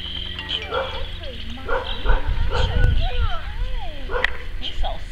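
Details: Eight-week-old Cane Corso puppies during socialising make short high whines and yips that bend up and down in quick succession. A person talks affectionately over them, with background music and a steady low hum.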